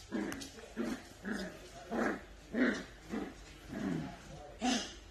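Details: Miniature Dachshund barking indoors, a run of eight short, mid-pitched barks spaced roughly every half second to second, with faint voices underneath.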